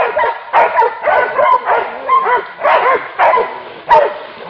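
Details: Hunting dogs confronting a wild boar: excited, overlapping barks and high yelps, each bursting in bent, wavering tones, pulsing about every half second amid a dense, chaotic chorus.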